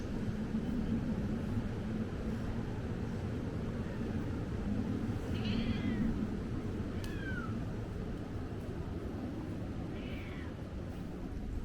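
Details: Stray cat on Ikeshima, a cat island, filmed around the turn of 2024 to 2025: three short arching meows, spaced a few seconds apart, rise and fall over a steady low rumble of background noise.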